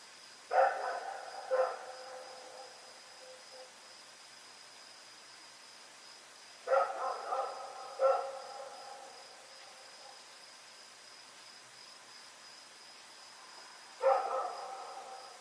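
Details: Barking at night on Oct 7, 2018 from Rex, a dog running around: paired sharp barks come in three bursts about six seconds apart, each ringing briefly, with a faint steady high tone underneath.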